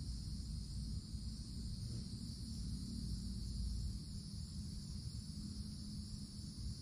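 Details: Cicadas in a summer forest canopy keep up a steady, high, hissing drone over a deep, rumbling background of wind or distant traffic.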